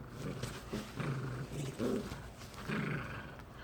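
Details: Sibling poodles, a male and a female, tugging on a toy while getting along; deep rumbling growls come in three or four short surges.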